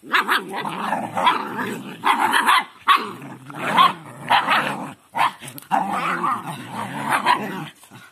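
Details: Several dogs at play while training a puppy, giving a steady run of throaty growls and gruff barks in bursts about a second long, with only brief pauses between them.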